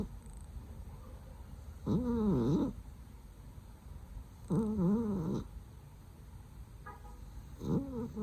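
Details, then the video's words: Loud snoring from a sleeping cat, with wavering, nasal-sounding tonal breaths about a second long, repeated roughly every three seconds against a faint room hum. "So loudly her snore！！！！！"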